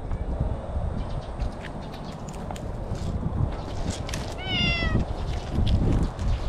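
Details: Stray cat in bushes in Japan calling out to a person, pleased to be stroked, filmed with a GoPro; one clear drawn-out meow, slightly falling in pitch, near the middle, amid rustling and handling noise.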